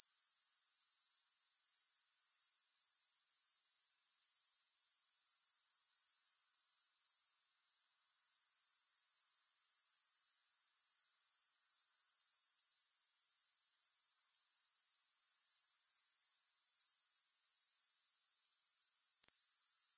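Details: Grasshoppers, presented without music as a long relaxation recording: a dense, very high-pitched insect trill of fast regular pulses, steady throughout, broken by one brief drop-out near the middle before resuming at full strength.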